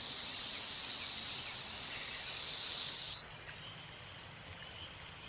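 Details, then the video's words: Black rat snake (Pantherophis alleghaniensis), also called eastern or pilot rat snake, hissing in a threatening posture with mouth open wide, recorded close up: a steady, breathy, high hiss for about three and a half seconds, then stopping abruptly, leaving faint background noise. "Black rat snake | tongue flick, stretching jaw, hissing sound | Threatening posture"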